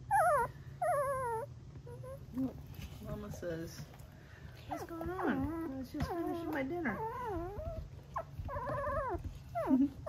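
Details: Tiny Golden Retriever puppy, three weeks old, trilling in wavering, vibrato-like squeals, bursts clustered in the middle and end, mixed with soft human speech and a constant low hum.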